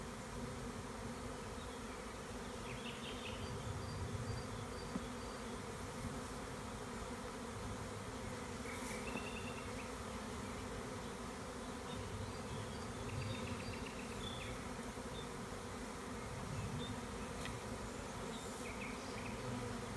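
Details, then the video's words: Large honey bee swarm being removed from a tree by a beekeeper in the Tuscan Maremma countryside, Italy, in spring: a dense, steady, low droning hum from many bees throughout, with brief chirps of small birds in the background. "Catching a swarm of bees"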